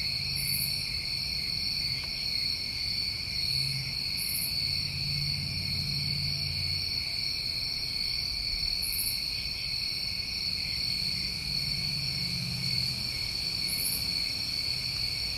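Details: Summertime crickets in New England keep up an unbroken high trilling chorus, layered in two pitches, while short bright insect buzzes pop in every few seconds and a soft low hum drifts underneath.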